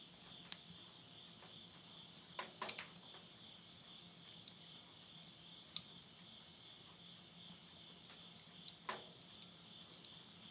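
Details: Midnight insect chorus at the end of summer, September 2020, in rural Yurihama, Tottori, Japan; continuous high-pitched ringing trill in two layers, broken by sharp pops and snaps from burning wood in a house stove.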